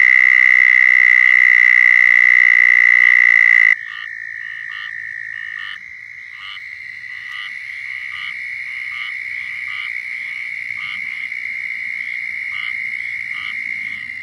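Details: Southern toads giving mating calls in Florida: a loud, close trill for nearly four seconds, then quieter overlapping trills from other toads with short, repeated pulsed notes through the rest.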